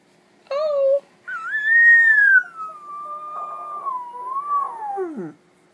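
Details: Gracie, a pet dog trained over about a month to "howl whispering" and talk with her owner, gives a loud wavering howl: a short tonal note, then a long sliding cry that rises, levels and dips, ending in a falling whimper; indoors.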